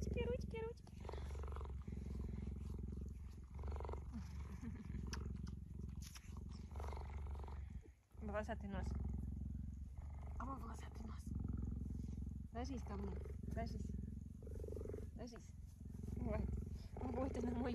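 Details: Female cheetah resting on a plaid blanket indoors next to a person, purring for the whole stretch as a low, even, rapid rumble, overlaid by frequent soft talking and brief pauses.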